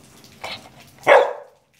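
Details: Formosan Mountain Dog, also called Taiwan dog, barking during basic training: a soft short bark followed by a single loud, sharp, harsh bark that fades quickly, in an otherwise quiet setting.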